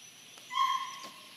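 A corgi gives a single short, high-pitched yelp with a clear, slightly whining tone.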